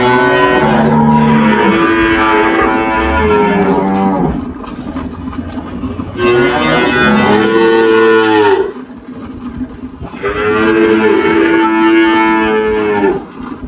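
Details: Three long, loud moos from Girolando cattle at a farm in Anápolis, Goiás, Brazil, March 2023, each lasting about two to four seconds and separated by short quiet gaps.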